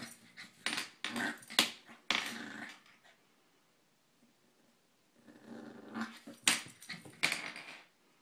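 A Corgi puppy gives short, rough barks and growls amid loud crinkling of plastic.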